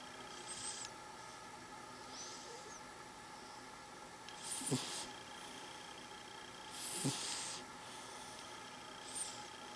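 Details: Quiet snoring from a cat asleep and dreaming: gentle breathy hisses, two of them stronger with a short nasal snort at the end, spaced about two seconds apart, with a low steady hum behind.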